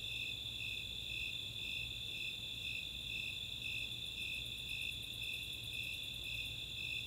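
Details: Snowy Tree Crickets and Four-spotted Tree Crickets calling together on a summer night in Chautauqua open space, Boulder, Colorado: rhythmic high chirps near two per second over a steady trill, with a long series of fast Greater Angle-wing Katydid ticks in the second half.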